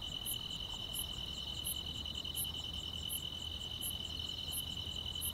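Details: Grass insects chirping on a quiet countryside summer night: a steady, high, shimmering trill runs without pause, with brighter high ticks repeated about every 0.7 seconds and a soft low hum underneath.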